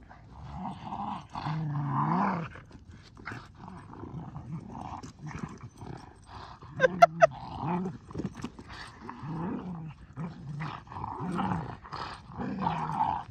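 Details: Boston Terrier and Keeshond playing tug with a blue ball, spinning in circles; rough, low growls come in bursts throughout, with a few sharp squeaky yelps near the middle and scuffling in between.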